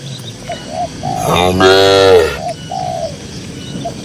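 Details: Herd of cows walking calmly across a green pasture; a single full-throated moo rises and swells for over a second amid soft short higher notes before and after.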